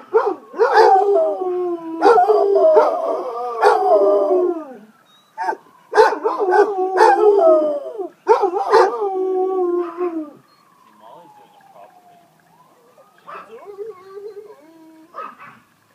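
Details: A pair of pet Basset Hounds howl along with a passing ambulance siren, their drawn-out wavering howls overlapping in bursts with occasional barks, then fading as the falling and rising siren wail carries on alone.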